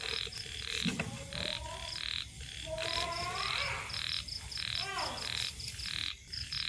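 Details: Small frogs croaking at dusk beside rice fields: dense, rasping croaks in quick irregular runs, some notes sliding upward, with crickets pulsing steadily and high throughout.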